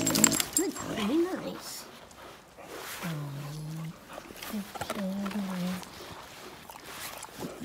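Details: Grumpy Oliver, an eleven-year-old American Pit Bull Terrier, yells at younger household dogs in a backyard to show who is top dog. Drawn-out, moaning, harmonic vocal bursts, two sustained ones mid-clip, with human voice near the start.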